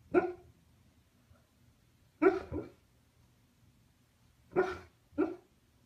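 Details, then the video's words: A husky vocalizing in its sleep while dreaming: four short, muffled woofs, two close together near the start, then a pause, then two more near the end, each a brief harmonic burst over a quiet room hum. "Un husky «parle» en dormant"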